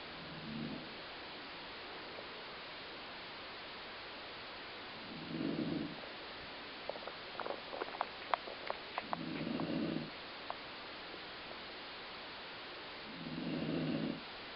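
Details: Dog named Colline snoring, a sound likened to a growling stomach: four low, rumbling, breathy snores about every four seconds, with a brief patch of faint clicking and rustling between the third and fourth snores, indoors.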